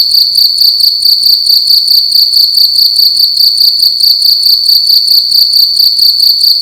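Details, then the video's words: A cricket indoors in a room at night, chirping loudly: a high, steady trill made of rapid pulses, grouped into chirps about two to three per second, continuous throughout with no other sounds. "Cricket making loud sounds at night in a room"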